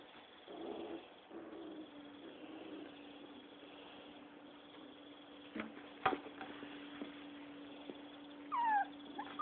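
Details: Six-week-old Rottweiler pups fighting and playing: low rumbling growls early on, a steady low hum underneath, scattered knocks, then a few high, falling puppy yelps near the end.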